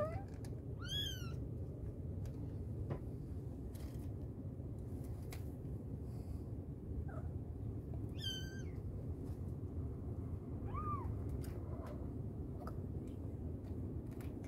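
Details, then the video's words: A mother cat calling her kittens gives sparse high-pitched falling mews, two sharp and bright, and one softer arched meow near the end, separated by long gaps of low background hum. "Mother cat calling her babies | cat meowing |kittens sound | mommy cat calling her kittens"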